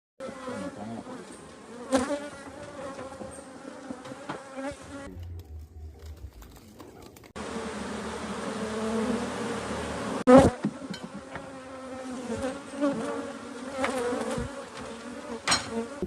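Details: Honey bees during beekeeping at an open hive with honey frames; steady droning hum with a brief quieter gap midway, plus sharp handling knocks and clatter from frame work.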